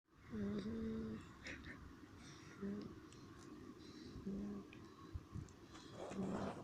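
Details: American Staffordshire Terrier sleeping outdoors in nature, snoring in low droning tones that recur about every one and a half to two seconds, each breath a steady hum with a faint overtone, over soft background noise.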